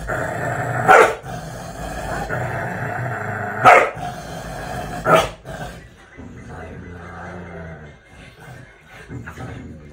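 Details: Pair of Border Collies indoors squabbling over a spot on the sofa, one a Border Collie/Labrador cross resisting being moved; three short loud barks spaced a few seconds apart, then quieter grumbling and low background noise.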